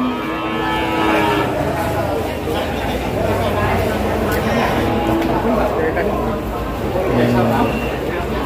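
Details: Cattle at the Pasar Kliwon market in Kudus before Eid al-Adha, a brief moo at the start fading into a noisy mix of human voices, engine rumble and general market din.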